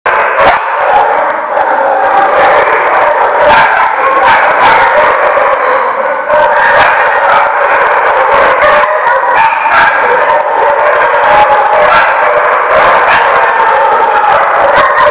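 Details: Many dogs barking together at The Barking Lot on August 17, 2015: a dense, continuous din of overlapping barks and yips with sharp individual barks punching through steadily for fifteen seconds.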